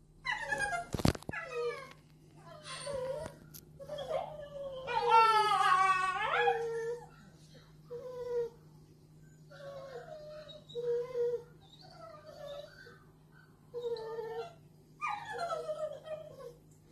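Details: A 10-week-old American bulldog puppy indoors in Merseyside, after toppling its cage and opening a paint tin, gives repeated high whines and wavering yelps that rise and fall, with pauses between, over a steady low hum.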